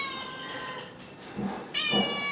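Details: Hungry stray cat that comes asking for food every day, recorded 12 May 2023: a drawn-out harmonic meow, a short pause, then a second louder, brighter meow near the end, over a quiet background.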